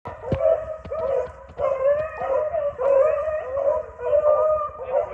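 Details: Several dogs chasing swamp rabbits bay together in drawn-out, mellow, overlapping notes, each bout lasting about a second.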